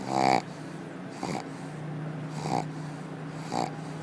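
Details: Pug named Akilla snoozing at the office, giving rattly nasal snores, four bursts in about four seconds, the first loudest, over a constant electrical hum.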